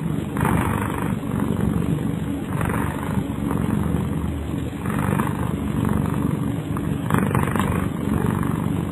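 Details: Sleeping pet cat named Kyara snoring: soft, rough breathing noise in steady low rasping pulses, each breath swelling about every second, over a constant low hum.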